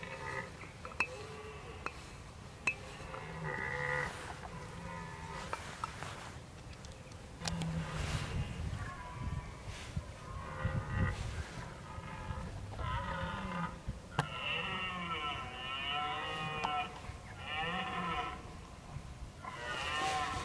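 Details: Red deer filmed in October, bolving while preparing for the rut: several drawn-out, harmonic bellows in the second half, each about a second long, with outdoor background noise and scattered clicks.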